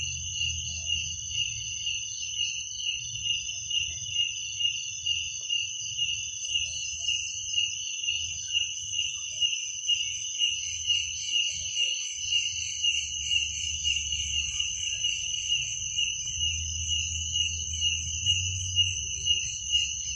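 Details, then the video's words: Crickets at night: a high, continuous shrill trill held in two steady bands, pulsing about twice a second, over a soft low background hum. "Suara jangkrik pada malam hari"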